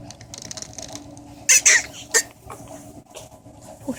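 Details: Pug puppies of a mother dog named Samantha, filmed in August 2014, let out a few short, high squeaky yelps close together mid-clip over a steady low hum and a rumbling background noise likened to a passing train.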